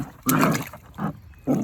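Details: A deaf two-month-old female German Shepherd puppy faces a bucket of water and gives three short, rough growling yaps with brief pauses between them.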